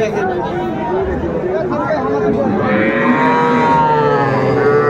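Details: Young Sahiwal bull calves at a cattle market in Dhaka, Bangladesh, on 11 February 2025, where farmers buy the smallest calves: overlapping bawling moos, several calves calling at once, with murmured crowd chatter beneath.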